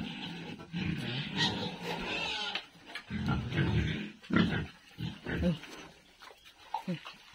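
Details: Pigs eating on a pig farm, making low rough grunts and snorts in irregular bursts, with chewing and shuffling noises throughout.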